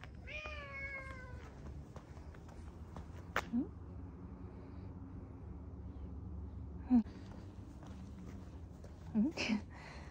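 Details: A cat meows while walking side by side with its owner and trying to jump onto its owner's lap in a park in Adachi, Tokyo, Japan, on 2 December 2022. One clear drawn-out meow falling in pitch, then a few soft clicks and rustles over a low background hum.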